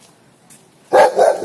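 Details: Rottweiler puppy barking because it wants to play with a cat: a sudden loud bark after near silence, then a second bark right behind it.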